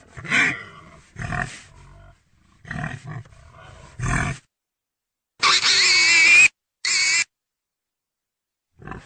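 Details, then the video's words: Quick run of rough pig grunts followed by two loud, shrill squeals, the longer lasting about a second, then a final faint grunt. "real pigy sound"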